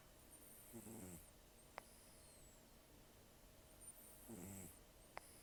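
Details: Sleeping rescued cat Taro, estimated 10 to 14 years old and nearly toothless, gives two coarse, rattling snores about three seconds apart, each a short buzzing swell followed by a breathy nasal hiss in a quiet room.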